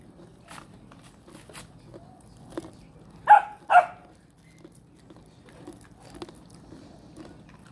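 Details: Pet dog being trained at home in a rural province of the Philippines; two sharp, loud barks in quick succession partway through, with quiet crunching and chewing noises and soft background sounds before and after.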